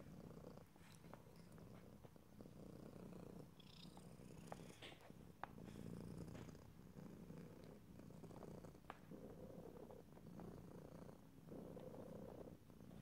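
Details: Close stereo recording of a domestic cat purring, a deep, even rumble rising and falling with each breath across the whole stretch, scattered small clicks and a faint higher rustle early on.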